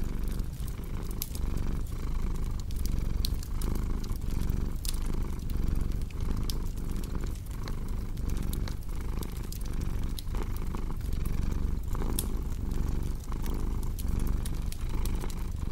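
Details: Low rumbling cat purr with a gentle breathing rhythm, partly masked by dense crackling and popping from a wood fire in the fireplace.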